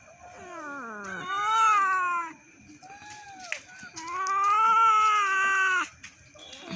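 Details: Several pet cats sit at their plates waiting for rice and meow insistently. Two drawn-out, wailing meows each last over a second, separated by a short pause, with the owner speaking to them in between.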